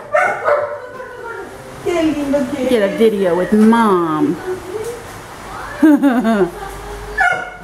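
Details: Milette, an orphaned baby female howler monkey in rehabilitation, objects to her care at the veterinarian: wavering, whining cries with rising and falling pitch, clustered in bursts between two and four seconds and again near six seconds.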